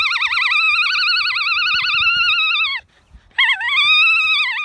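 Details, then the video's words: A female alpaca on a farm in County Kilkenny, Ireland, giving her so-called opera song: two long, loud, wavering high-pitched tones with a strong vibrato, the first about two and a half seconds, then a short pause and a second rising one. "Alpaca Oreobloom Sings Her Song"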